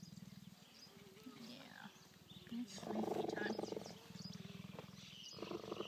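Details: Cheetah purring while cuddling at a park near Johannesburg, South Africa, September 2014; steady pulsing low purr interrupted by human speech and brief louder vocal passages midway.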